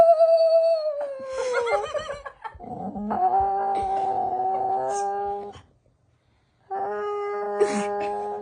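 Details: Vocal female rescue dog voicing new noises: sliding, falling whines followed by sustained moaning tones with a steady pitch, a pause of about a second of silence, then another level moan.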